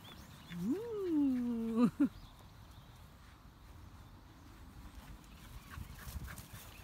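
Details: A young female Pembroke Welsh Corgi, born July 2015, excited and running around on a grass lawn, lets out a drawn-out whining howl that rises then slowly falls, closing with two short sharp barks before quiet outdoor background.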